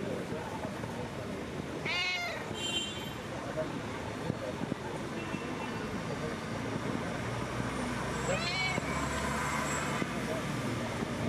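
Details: Friendly street cats greeting and demanding attention give two short, wavering meows several seconds apart, against steady traffic rumble and faint voices.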